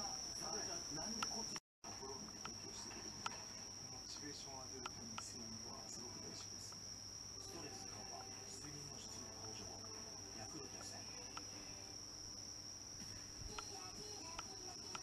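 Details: A bell cricket sings a steady, high, ringing trill almost unbroken throughout, heard in September while house cats doze.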